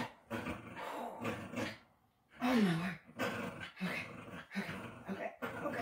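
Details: Patterdale Terrier pup named Bullet, indoors, tugging and pushing against a person in a test of jaw strength; low rough growls in short bursts, with one rising-then-falling whine near the middle, amid rustling and a person's voice.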